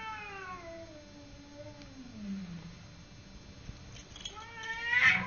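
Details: Cat named Simba in a fight with the neighbour's cat, giving a long descending yowl that sinks low and growly, followed by a rising harmonic wail and a harsh, louder burst at the end.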